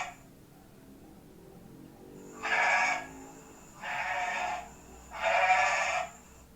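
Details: Goat bleating, played for an Indonesian primary school class: three harsh, noisy bleats, each over a second long, spaced about every one and a half seconds, with a thin high whine running alongside.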